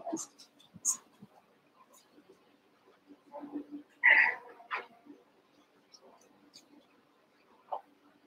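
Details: Cavalier King Charles Spaniel puppies, eight pups from Daisy's and Robin's litters brought together to play; short high squeaks early on, then a loud strained yelp in the middle and a brief whimper near the end, with human voices mixed in.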